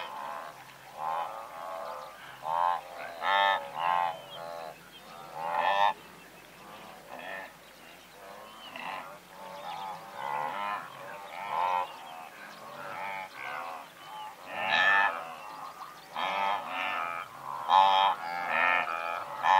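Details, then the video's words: Blue wildebeest calling from a herd of several hundred, a dense chorus of nasal, honking grunts overlapping in rapid bursts, louder calls standing out around the middle and end. "Blue Wildebeest / MCU Calls From A Herd Of Several Hundred"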